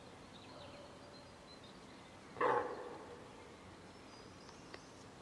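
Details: Female deer (hind) calling for her calf, which was separated from her by a group of wild boar. A single loud, short, hoarse call rises briefly out of a quiet rural background, followed by fading faint sounds.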